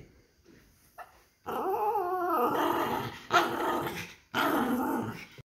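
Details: Poodle playing and vocalizing. A drawn-out, wavering growl-whine lasting about a second is followed by two harsh, rasping growl bursts, with brief quiet gaps between them.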